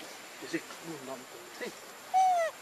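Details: Hungry baby monkey crying to beg for milk: after soft background chatter, one loud tonal wail slides gently downward with a stack of bright overtones, lasting under half a second.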